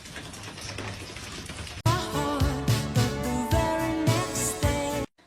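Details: Quiet background noise gives way to a loud, upbeat pop tune with a steady beat, which ends abruptly just before the close, with no animal sound.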